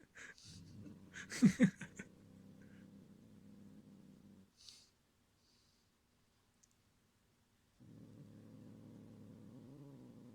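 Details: Pet cat, breed tags minuet, munchkin, exotic shorthair, kitten, growling to guard its string toy from another cat; low rumbling growl about three seconds, with a louder burst and breathy noises early, then silence and the growl resuming.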